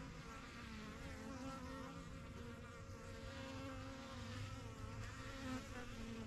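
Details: Honey bees at a busy backyard hive, the yellow box of a first set of hives started in spring 2023, flying in and out. A dense, steady low drone with layered hum, unbroken throughout.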